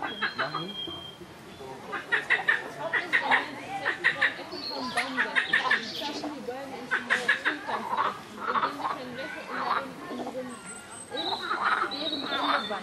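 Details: Loud, noisy frogs calling in a chorus: bursts of rapid, rattling pulsed croaks come in uneven trains lasting one to two seconds, with overlapping callers and short quieter gaps between bursts.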